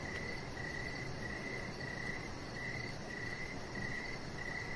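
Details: Crickets chirping in the evening outside by a deck with decoration lights, a chihuahua puppy lying nearby. Steady mid-pitched chirps repeat about twice a second, with a fainter, very high pulsing trill above and a soft low background hum.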